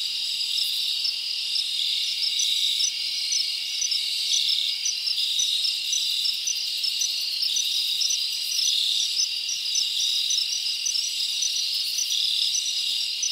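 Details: Forest crickets at night in summer, a loud continuous high chorus punctuated by rapid evenly spaced clicking chirps, roughly two per second, over a steady shimmering background.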